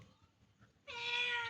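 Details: Hungry cat meowing while waiting for food, indoors in a small room; after a quiet start, a single long, clear, harmonic meow rises and holds steady for about half a second at the end.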